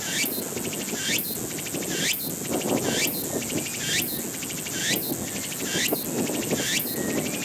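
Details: Walker's cicada singing: shrill, buzzy phrases repeated roughly once a second, each ending in a sharp rising sweep, over a steady background hiss of insect noise.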